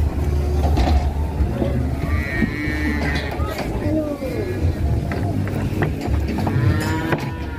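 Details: Fat cattle raging while being loaded onto a truck: deep, drawn-out lowing moos over a steady low engine rumble, with men's voices talking and calling nearby.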